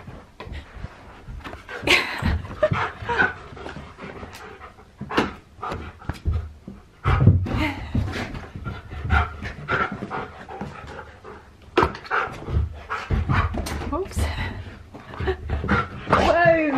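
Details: Siberian Husky having zoomies: rapid rough panting and scrabbling, with brief whimpers and thuds of movement throughout, a high squeaky whine near the end.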